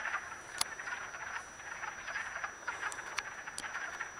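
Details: Many wood frogs calling while mating in a vernal pool, Acton, Massachusetts, March 18, 2010; low chuckling croaks overlap in a continuous rattle, broken by a few sharp clicks.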